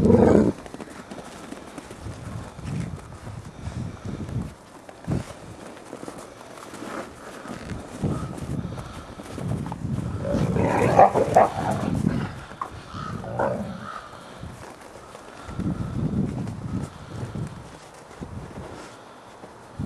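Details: Ambassador gray wolves in dominance interactions, recorded 15 December 2008: rough, low rumbling growls and snarls come in irregular bursts throughout, swelling louder near the middle, where a brief higher whine-like tone rises over the growling.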